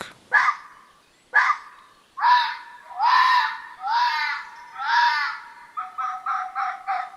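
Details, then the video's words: A red fox barks at night, giving a run of hoarse, raspy barks: two sharp yaps, then four drawn-out hoarse ones, then quicker, shorter barks about once a second. "foxes also bark"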